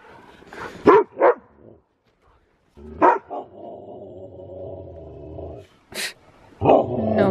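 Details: Excited Siberian Husky racing around in snow, two sharp barks, then a long steady drawn-out howl lasting about three seconds, followed by more barks; a voice is briefly heard.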